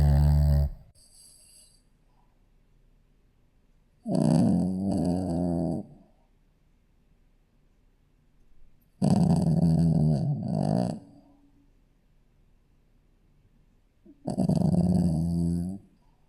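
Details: Sleeping Shih Tzu puppy snoring indoors: loud, rough, low breaths lasting about two seconds each, repeated roughly every five seconds with quiet pauses between.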